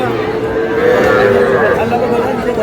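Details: Cattle at a market in Madaripur, Bangladesh, on 11 July, where small bulls and heifer calves are sold to a farmer: a long, steady, mid-pitched moo drawn out over a loud din of chattering voices and crowd noise.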